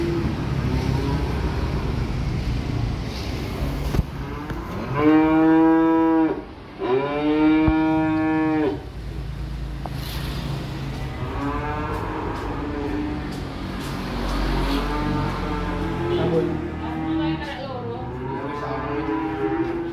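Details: Small calves being brought in by truck call with two loud, long, wavering moos back to back midway through. Softer, rising-and-falling moos follow later over a steady background rumble.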